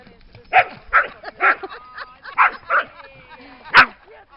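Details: A steady run of about seven sharp barks, roughly two per second, from dogs beside the lake at Lida Nature Reserve in summer, with faint tonal sounds in the background.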